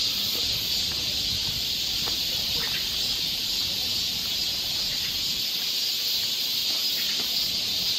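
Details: High, even, shimmering drone of cicadas in a Korean summer forest near Seoul, continuous and unvarying, with a few faint clicks.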